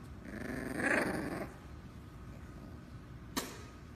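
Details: A dog attacks a potato, giving one rough growl over the first second and a half, then quiet with a single sharp click near the end.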